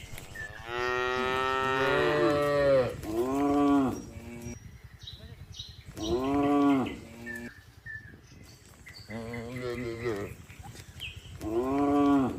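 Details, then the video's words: Red village cow eating grass with a companion, mooing in a series of loud, drawn-out harmonic moos, roughly every three to four seconds, about five calls in all, with faint bird chirps between. "Village Cow Mooing, Cow Sound, Red Cow Eating Grass Food Very Very Contentedly With His Friend"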